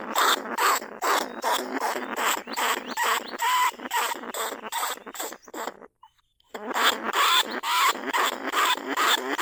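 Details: Lesser bandicoot rat calling from a cage trap in paddy fields at Na Lao, Nong Khu Phai; dense scratchy squeals repeat roughly twice a second, stop for a half-second gap, then resume in the same rasping rhythm.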